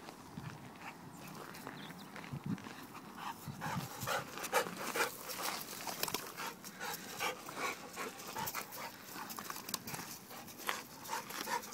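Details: Pet American Bulldog panting steadily and quickly, a little over two breaths a second, soft breathy puffs continuing throughout with light background rustle.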